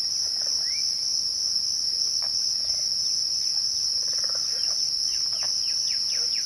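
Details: At twilight, crickets sustain a constant high ringing drone without pause; faint bird chirps and short whistled slurs are scattered behind it.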